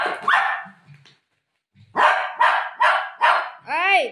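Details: Golden Retriever at play with its owner, tearing plastic: a woman speaks briefly, then after a pause the dog gives four loud, evenly spaced barks about half a second apart, ending in a rising-falling whine.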